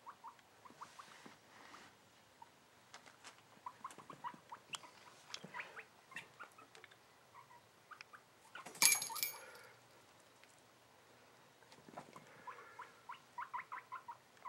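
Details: A 7-month-old male guinea pig, excited while his cage is cleaned, gives rapid, repeated short squeaks, a chattering burst of high chirps.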